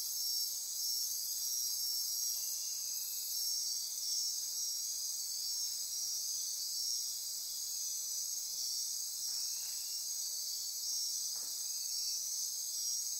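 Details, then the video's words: Dense nocturnal insect chorus in rainforest near Corcovado National Park on Costa Rica's Osa Peninsula at midnight: a steady high-pitched shimmering buzz with a continuous whine above it, plus a couple of brief faint clicks. "Midnight Insect Chorus"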